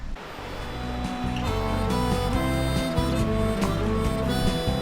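Steady instrumental music with sustained, reedy harmonica-like chords plays throughout, with no animal voices.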